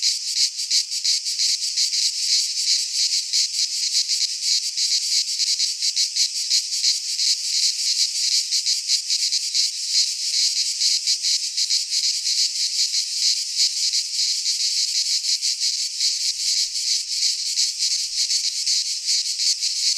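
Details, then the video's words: Midsummer cicada chorus from a Greek pine forest, a steady high-pitched rasping drone throbbing in quick regular pulses, unbroken for the whole stretch, nothing else audible. "Cicadas singing in midsummer - Nature sounds from the Greek fauna - Sounds of cicadas"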